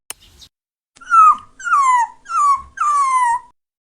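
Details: Cat heard in a compilation of trending clips: four drawn-out, falling whining cries, each about half a second long, repeated in quick succession after a faint short sound, with no other noise.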